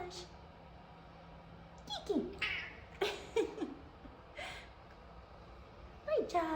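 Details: F2 Savannah cats Kumba and Taj give several low, drawn-out meows sliding downward in pitch, seeking attention; Taj has very deep meows, with a person talking softly nearby.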